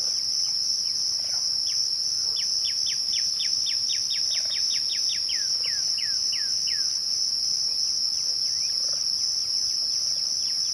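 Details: Twilight cricket chorus: one constant, shrill, high ringing tone runs the whole time. Midway, a bird sings a long series of rapid downslurred whistles that gradually slows.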